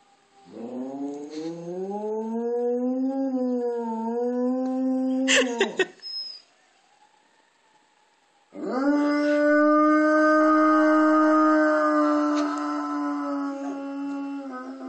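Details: Two pet dogs, Bogart and Baylor, howling along with a passing fire truck siren: long sustained wavering howls with rich harmonics, a brief break, then a second steady drawn-out howl.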